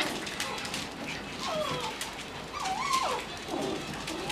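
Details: Female Shiba Inu on a trial day at a dog daycare, giving thin, wavering whines that curve up and down in short bursts, with scattered clicks and faint room noise around them.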